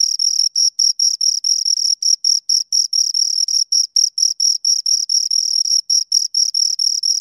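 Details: Shrill stridulation from two crickets: evenly pitched high chirps packed closely together, short pulsed bursts broken by brief silent gaps, steady loudness throughout, no other animals or noise.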